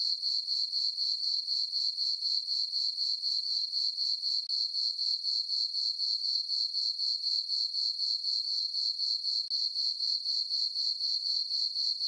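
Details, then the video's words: Crickets on a farm meadow on a summer night under a full moon, chirping in a steady, high, even trill pulsing about four times per second, with no other sounds. "Cricket chirping sounds for sleeping"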